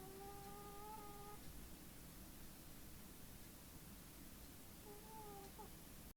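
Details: Snoring from Tim, a small feral cat in deep sleep, comes as two whistled nasal breaths, one long at the start and a shorter one later, against steady background hiss.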